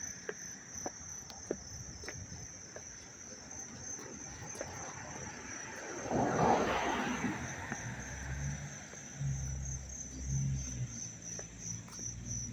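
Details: Crickets in Dobbs Ferry, New York, recorded close on August 19, 2025, giving a loud continuous high trill of rapid, even pulses, with a fainter higher buzz, a passing rushing noise and a low engine-like drone.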